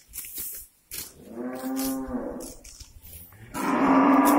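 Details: Cows released into a grazing area on a breeding farm in the morning, content with the grass: a drawn-out harmonic moo from about 1.3 to 2.6 seconds, followed by a louder, brighter moo starting near 3.5 seconds, with clicks and rustles between.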